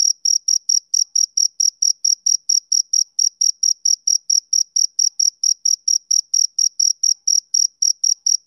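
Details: A male cricket calls through a summer evening with clean, shrill chirps repeated about four per second, each short and alike, against complete quiet.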